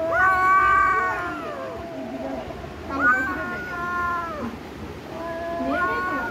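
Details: Cat giving three drawn-out, clearly harmonic meows, each about a second long and starting roughly two seconds apart, with the pitch rising and then falling.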